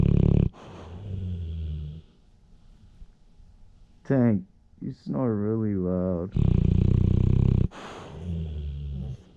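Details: Blue-nose pit bull snoring loudly in his sleep with eyes open, recorded indoors with a GoPro Hero 7; long, low, rattling snores in separate breaths, with a man's speech in the middle.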